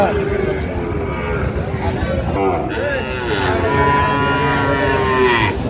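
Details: Sahiwal bull calves at a market in Kurigram, Bangladesh, on 22 April 2025, as a farmer buys one; a drawn-out, wavering low moo rises and falls over steady market chatter and background hubbub.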